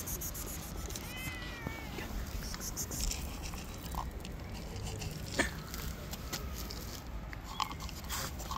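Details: Angry, wild white stray cat living on the street that never wants to be tamed: a single drawn-out meow with stacked harmonics, slightly wavering, early on, followed by low street rumble and a few sharp clicks.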